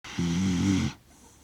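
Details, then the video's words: Kaki-Maru, a six-year-one-month-old Shiba Inu, asleep indoors in Rotterdam, Netherlands, recorded 30 September 2025 with a DJI Mic Mini: a single low, buzzy snore lasting under a second, then quiet. "柴犬柿丸 柴犬のいびき"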